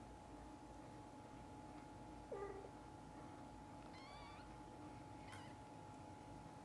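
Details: Mother cat with kittens; three short, thin mews spaced about a second apart, the first lower and brief, set against a constant high-pitched hum and faint room noise.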